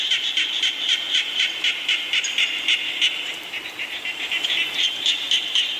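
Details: Chorus of frogs and small frogs in the rain: sharp, high pulsed notes beating about four per second, briefly softening midway before surging again, with constant hiss behind.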